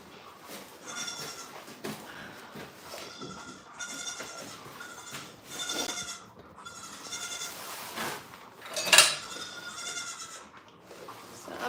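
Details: A run of repeated goat bleats at a farm: about six strained, wavering cries, each around a second long, coming every one to two seconds, with a sharp metallic clatter near the end.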